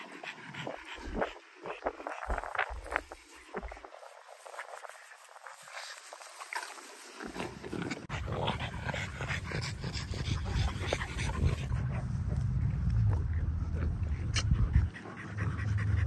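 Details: Two dogs, a Frenchie and a Great Dane, at play over a ball: scattered snorts and scuffles at first, then a continuous deep rumbling growl that builds and holds through the second half.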